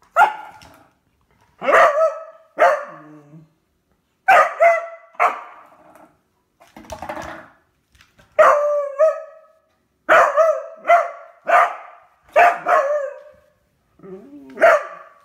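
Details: Beagle with a newly found toy barks steadily, about a dozen ringing, tonal barks in pairs and singles across the clip, some drawn out with a whining tail, in a quiet indoor setting.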